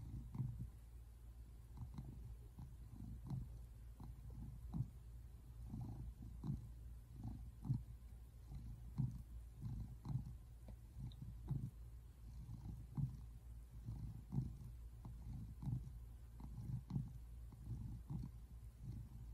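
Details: Relaxed on the couch on February 8, 2024, Simon, a tabby American Shorthair cat, gives a continuous low rumbling purr, pulsing in regular swells about twice a second throughout.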